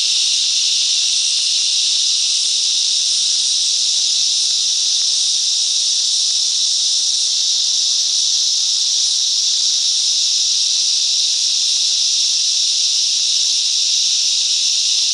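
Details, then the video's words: Cicadas singing together in the bush mangroves of Coffs Harbour, NSW, Australia; a dense, steady, hissing drone of many insects holds unbroken throughout with no pauses or change in intensity. "Cicadas Song - Coffs Harbour"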